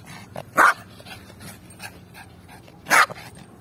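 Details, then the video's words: Yorkshire Terrier barking during a ball game: two short, sharp, loud barks a little over two seconds apart, with quiet rustling and faint panting between them. "Woof Woof Ball Game Yorkshire Terrier"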